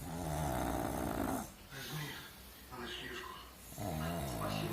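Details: Pug. A pug gives heavy, low, rattling snores, each breath a long throaty rumble. Human voices speak quietly between the snores.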